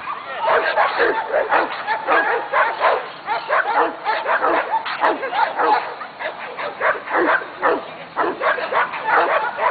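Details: Female Belgian Malinois training at a dog club, barking in rapid, repeated bursts with short yips and whines between them, nearly continuous, with a trainer's voice mixed in.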